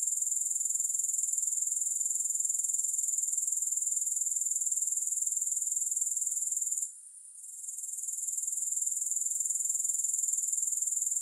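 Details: A steady, high, hissing grasshopper trill of fast pulses runs on, dropping away for a brief moment partway through before resuming at full strength.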